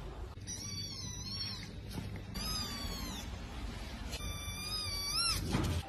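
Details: Domestic cat from a funny cat compilation giving three drawn-out, high meows, each bending down then up in pitch, over a steady background hum and possible music.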